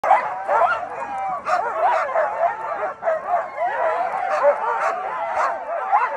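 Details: Huskies excited before mushing in the snow in Colorado: a chorus of high, wavering yips, whines and barks overlapping continuously, rising and falling in pitch with no pauses.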